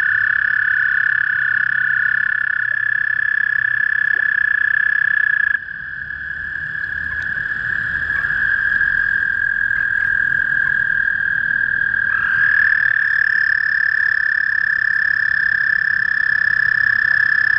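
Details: Spring calling of a male toad: an unbroken, high, level trill sustained for the whole stretch, briefly overlapped by another trilling caller, over quiet low background noise.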